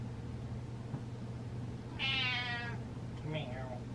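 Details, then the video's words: Pet cat meowing indoors at its owner dancing: one long harmonic meow falling slightly in pitch, then a shorter rising-falling meow, over a steady low hum with a woman speaking. "Cat Meows At Dancing Dad"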